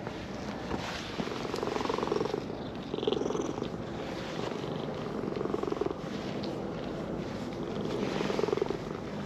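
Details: Brown-and-white stray cat in a park, purring while being stroked after coming down a slope; steady low rumbling purr with rhythmic swelling in loudness, faint outdoor background.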